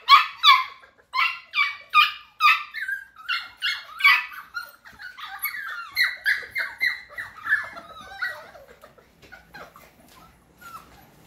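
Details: Litter of F1 cockapoo puppies (Cocker Spaniel mother, miniature poodle father) giving shrill, harmonic whimpers in a steady run of about two or three per second, loud at first and gradually fading toward the end.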